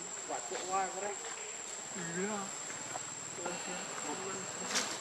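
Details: Baby macaque named Leo, hungry and crying to beg his mother for milk; wavering, whimpering cries rise and fall in short bursts, with a steady high electronic whine and faint rustling behind.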